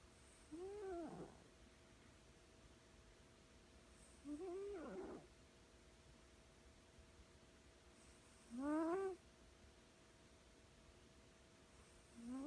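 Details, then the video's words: A sleeping female cat named Cobweb snores loudly enough to wake herself; each breath gives a short, squeaky, rising whistled note with harmonics, repeating about every four seconds over a quiet room hum. "This cat snores so loud"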